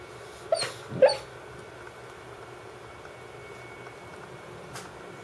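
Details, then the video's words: Dance, a female Brittany Spaniel who otherwise never barks, barking in her sleep: two soft, muffled woofs close together near the start, then near silence with one faint click toward the end. "Sleep barking dog (Brittany Spaniel)"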